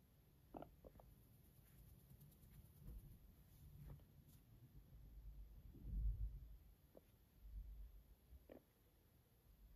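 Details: A fluffy guinea pig purring sweetly beside its owner: a soft, low rumbling hum with uneven pulses, a few faint clicks and rustles over quiet background hiss.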